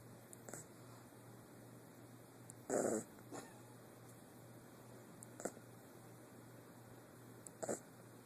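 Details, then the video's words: Guinness the 8-week-old puppy snoring away: one strong gravelly snore near the middle, flanked by fainter short breaths and snuffles, over a low continuous hum. "Guinness snoring away!"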